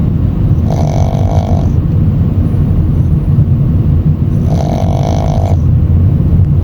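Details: Tired Shih Tzu puppy dozing on the ride home after a grooming session; two droning, hoarse snores of about one second each, nearly four seconds apart, rising above steady low-pitched road and engine noise.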